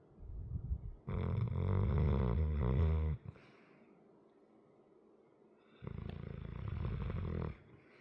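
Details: Asleep indoors, a large 100 lb pet dog gives two long, loud, rattling snores about two seconds each, separated by a quiet stretch of soft breathing.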